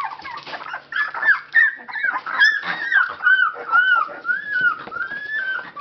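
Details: Labrador Retriever puppies, 19 days old, at the Labradors Yochiver kennel in Belgium, eyes newly open and noisy when awake; overlapping high, arched whines and squeals, rising then falling, following each other closely throughout.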